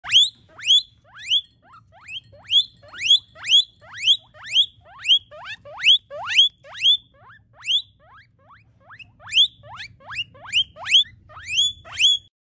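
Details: A guinea pig sounding its alarm: loud, high, squealing wheeks, each sweeping sharply upward, repeated roughly twice a second in steady rhythmic series with brief pauses, over a faint low hum.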